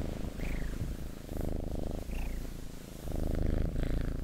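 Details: House cat purring, a low vibrating rumble in pulsing bursts, interrupted twice by short falling high squeaks early and midway through.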